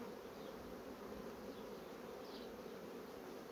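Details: Humming of a honey bee colony known for rapidly building comb on foundation sheets: a continuous, uniform drone held at a steady level with no pauses, brief faint higher buzzes passing over it.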